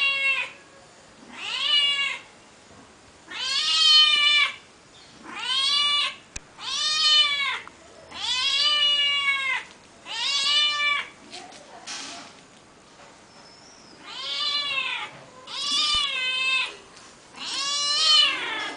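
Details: Female cat in a backyard, a frequent visitor to the house, meowing tirelessly: a long series of about ten short arched meows, roughly one every two seconds at an uneven pace, with a quiet background.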